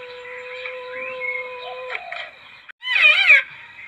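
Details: Lure recording of a palm civet: a steady, drawn-out whine gives way to a short pause, then a loud, trembling, wavering yowl, then a fainter tail.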